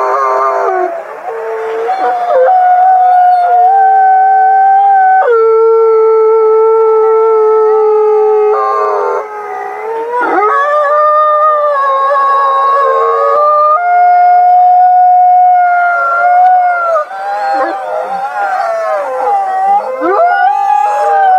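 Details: Forty-two captive gray wolves at the Wolf Conservation Center, South Salem, New York, howl together in long, overlapping, mournful notes that hold steady, then slide up or down.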